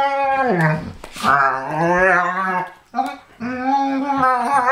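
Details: A Pharaoh Hound and a Ridgeback, with the attacker likened to Chewbacca, give a long wavering yowl that dips, then sustains in rich harmonics before breaking off and resuming steadily, with a short snuffling burst early on.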